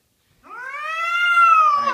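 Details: Domestic cat kept indoors, howling after causing a kitchen mess; one long, strong, steady wail swelling gently in loudness and pitch, ending in a rough, broken-off note.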